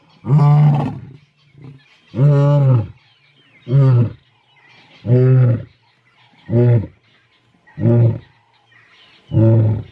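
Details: Big male lions of the Mpondo coalition in South Africa roaring: a series of deep, harmonic bellows, each about a second long, repeated roughly every one and a half seconds, with softer grunts between them.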